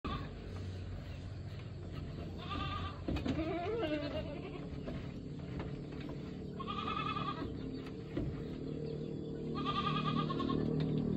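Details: Goat screaming: loud, wavering, bleating cries come about every three to four seconds, each a strained nasal wail. Steady background noise and a few clatters are heard between the cries.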